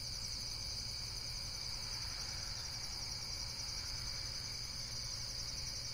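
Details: High insect trilling in nature, a dense, evenly pulsing buzz sustained throughout, with soft low rumbling noise beneath it.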